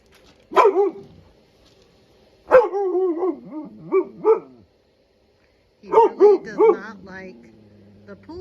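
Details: Blizzard, a Husky/Malamute, vocalizing at hated pool toys in the yard: loud clustered barks breaking into woo-woo howling phrases, three separate bouts with short quiet gaps between.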